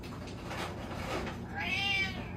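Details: Fat domestic cat meowing indoors: a short rising-then-falling harmonic meow near the end after a quiet stretch, with a steady low hum in the room.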